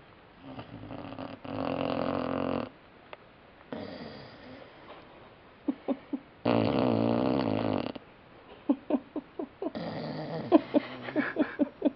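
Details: Sleeping puppy snoring indoors: broad noisy rasping snores lasting one to two seconds each, separated by quiet pauses, with short sharp snorts and sniffs between them.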